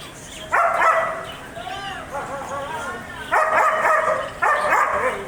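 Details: A German Shepherd gives a loud bark, then wavering, whiny calls, then two more sharp, harsh barks close together near the end.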